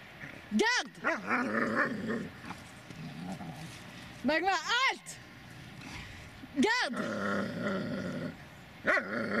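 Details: Magmar Von Der Burgstätte, a Dobermann, gives deep, forceful barks spaced a couple of seconds apart, one pair close together mid-clip, while a person speaks in the background between outbursts.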